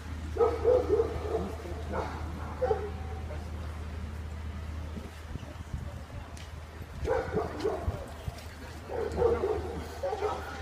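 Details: Labrador Retriever at a Labrador speciality show in Moscow, 12 June 2016: bursts of several quick, harsh barks near the start and again near the end, with a steady low hum and voices in a hall.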